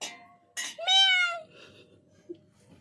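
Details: A neighbour's cat gives one drawn-out, clear meow lasting about half a second. It rises slightly and then falls. Short bursts of noise come just before it, and the room is quiet afterwards.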